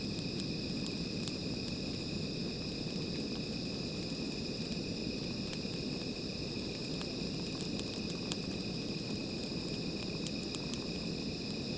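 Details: Nighttime insect chorus next to a small fire, an unbroken shrill buzzing held at even pitch throughout, over heavy low crackle and scattered clicks from burning wood.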